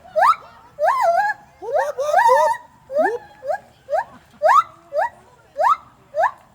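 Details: Gibbon giving a series of loud whooping calls, each a clear pure-toned note sweeping sharply upward, repeated roughly every half second with brief wavering flourishes between, over a faint low background hum.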